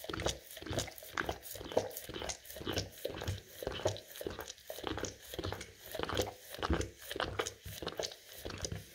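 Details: Quick, even licking by an English cream golden retriever cleaning peanut butter off rough floor tiles, almost two raspy wet strokes every second, each with a bright scraping edge and a low thud.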